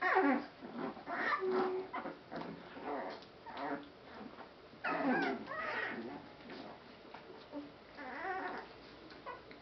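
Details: Rescue Boston Terrier/Pit Bull mix puppies from one litter give a busy stream of high, wavering whimpers and short yips, several voices overlapping in bursts roughly every second, with brief quiet gaps between.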